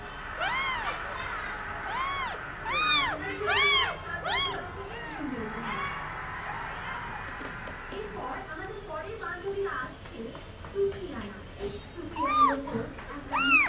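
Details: Crying Indian street kitten at play: a burst of repeated arched meows in the first seconds, then mostly human chatter with only a few meows near the end.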